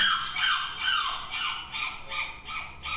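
A monkey gives a quick series of shrill, squealing calls that slide downward, several each second.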